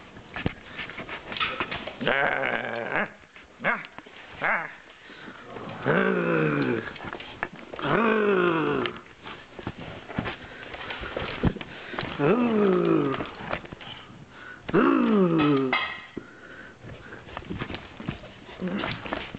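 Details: Bernese Mountain Dog puppy indoors, biting at the camera while playing. Repeated whiny, falling yelps and rough little growls come in bursts every two to three seconds, with a person's brief remarks.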